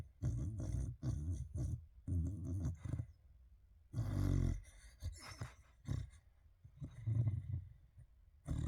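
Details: A dog asleep in a fluffy bed surrounded by fluffy toys, moving its ears while gently snoring: low, rough, grunting breaths in short bursts, roughly one per second, with brief quiet gaps between them.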